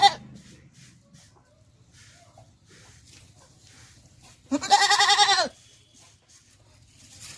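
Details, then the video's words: Beetal (Batisha) goat that has recently given birth, kept with her kid on a farm in Haryana; a single loud, harsh, wavering bleat of about one second stands out against quiet background murmur. "देखिए top quality बतीशा बकरी और बच्चा।"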